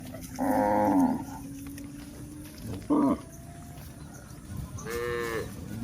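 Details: Cows walking on a hill: a long harmonic moo, then a short clipped moo about two seconds later and a brighter, higher moo near the end, with a quiet rustling background.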